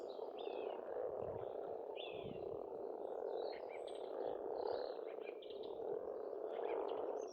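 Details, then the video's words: A dense spring chorus of croaking frogs from an Estonian pond, steady and unbroken. Birds call above it with slurred whistles and brief chirps spaced through the recording. "пение птиц и лягушек, весна"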